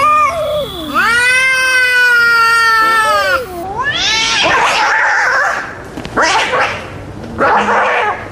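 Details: Angry cats give a loud, drawn-out, wavering yowl that dips and rises, followed by harsher, noisier growling and hissing bursts.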